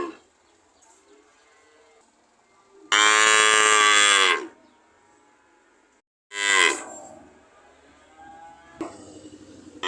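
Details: Cow giving a loud, bright moo of about one and a half seconds, a shorter moo fading out a few seconds later, and the start of a third near the end, over faint low background tones.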